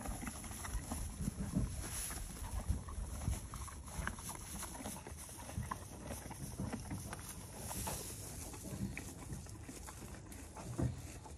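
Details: A female Morgan horse eats hay close to the camera, with steady, low crunching and grinding chewing.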